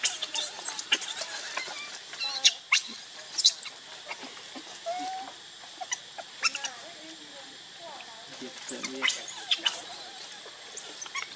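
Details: Baby monkey Lucie crying for milk, hungry and foaming at the mouth: thin, high squealing cries in quick bursts, some short and clipped, some drawn out, with clicks and rustling between them.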